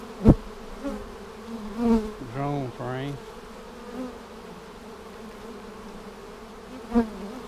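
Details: Honey bee colony hum during a hive inspection for queen cells seven days after a vertical split, March 10, 2019: continuous low drone, a brief human voice partway through, and several sharp knocks from frames or equipment.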